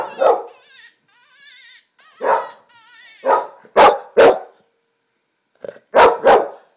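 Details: English Springer Spaniel Finnegan reacts to a coyote hunting call on a computer, giving loud, abrupt barks in pairs between wavering, howl-like coyote sounds from the speaker.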